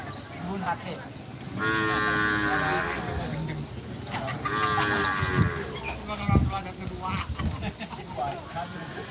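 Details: Karapan sapi racing cattle at the Asemanis field in Pamekasan, Madura, East Java: two drawn-out moos, the first longer, amid people talking and scattered clatter at a busy outdoor gathering.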